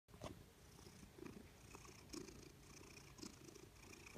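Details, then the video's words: Loud, steady purr from a female Maine Coon/Manx cat described as happy and fat, a continuous low rumbling throb with soft faint clicks scattered through. "Loudest purring Cat"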